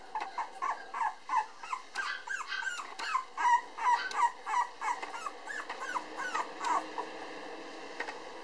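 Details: Male Cavapoo puppy born 24 August, the darker-coloured one of his litter and still timid, giving a steady run of short, high, whining yips, roughly three a second, each with a slight bend in pitch, indoors with faint background hiss.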